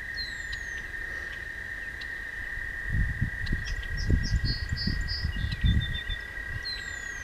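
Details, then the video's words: Toads singing after dark along a walking path: a flat, sustained trill throughout, joined midway by a burst of low rumbling wind noise and a few thin bird chirps and whistles. "Singing Toads"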